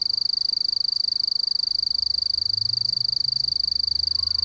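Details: Continuous rapid, evenly pulsed high trill of a mottled bush cricket (Eurepa marginipennis), constant in pitch, with a soft low rumble in the background partway through.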